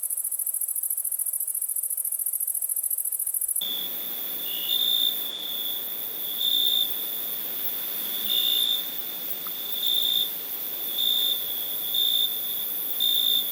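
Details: A cricket's thin, very high trill gives way to a steady ringing tone, with louder chirps bursting out about once a second.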